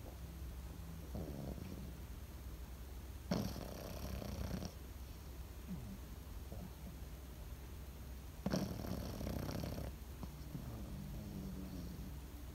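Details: A sleeping Pekingese dog breathing softly. Two raspy, breathy snores about five seconds apart each last over a second. A steady low hum fills the gaps.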